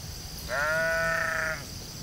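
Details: Sheep in a field giving a single clear bleat lasting about one second, steady and slightly wavering with rich harmonics, over a low background rumble and faint high insect-like hiss.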